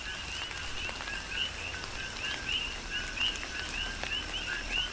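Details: Rhythmic chorus of coqui frogs in tropical rain on Hawaii's Big Island: overlapping short two-part calls, low note sliding up to a bright chirp, repeating roughly every half second, with raindrops tapping and a hiss of falling rain.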